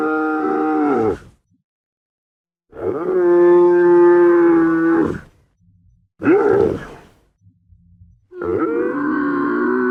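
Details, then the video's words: Guttural camel grunting in rough rhythm: a groan that cuts off, a pause, a long steady rumbling groan of about three seconds, a brief abrupt rising burst, then another sustained groan at the end. "SOM DE CAMELO"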